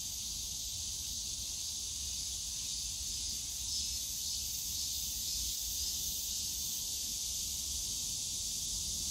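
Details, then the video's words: Cicadas calling in a bamboo grove at Yongsan Family Park on a summer day: a steady, dense high-pitched shimmering buzz with no breaks, over a low rumble of park and city noise. "용산가족공원 대나무숲 매미소리 여름날"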